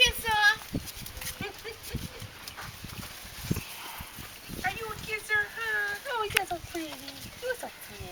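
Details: Growing puppies recorded May 29 whimper repeatedly throughout, thin high whining notes that slide downward, coming in quick irregular series, with a person speaking and moving nearby.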